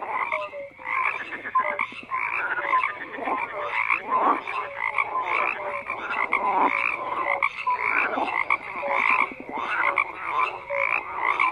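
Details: Overlapping frog croaks form a constant chorus, with short falling tonal notes and bursts of rattling pulses rising and fading every couple of seconds.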